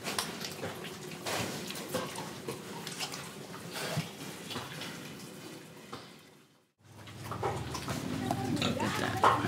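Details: Indonesian pigs breathing and eating: low, rough grunts and wet snuffling sounds run continuously, interrupted by a brief cut to silence before the grunting and chomping resume more loudly.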